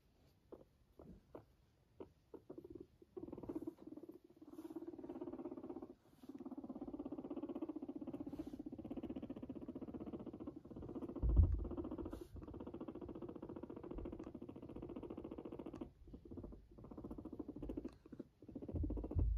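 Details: Guinea pig purring indoors: a low, continuous vibrating rumble lasting several seconds at a time, broken by short pauses and soft tapping and rustling noises.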